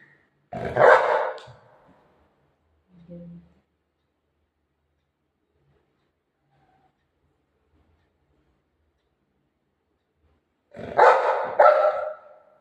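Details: Golden Retriever barking while playing: one loud, harsh bark at the start, a brief low sound soon after, a long quiet gap, then a double bark near the end.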